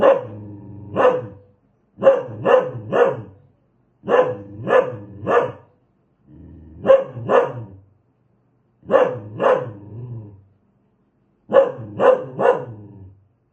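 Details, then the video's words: Aggressive dog barking in short bursts of two or three sharp barks, the bursts spaced by brief silent gaps, with some low rumbling tone carried under a few of the barks. "Suara anjing galak"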